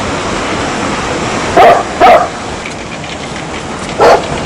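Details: Dog barking: two sharp, short barks close together, then a pause of about two seconds before a third single bark, each bark loud and abrupt against a steady background hiss.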